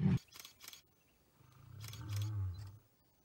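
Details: Wild lion in South Africa giving a deep, low moaning roar lasting about a second and a half, rumbling and slightly rising then fading, preceded and overlapped by sharp camera-shutter-like clicks.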